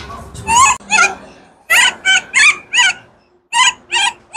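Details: Kaka, a baby wild monkey, screams because he is hungry for fruit: a run of tonal, wavering cries, each under half a second, in two bursts with a short pause between, over a faint low rumble.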